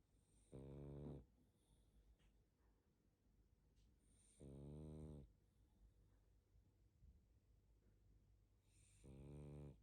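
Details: A pug named Barney asleep, giving three low, rattling snores spaced about four seconds apart, each a steady buzzy inhale lasting under a second, separated by quiet breathing and light sniffing.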